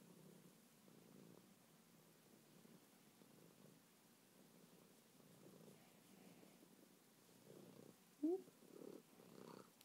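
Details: Soft, steady purring from Meatball, a contented house cat: a quiet, low throb pulsing in short bursts, with a brief squeaky sound near the end.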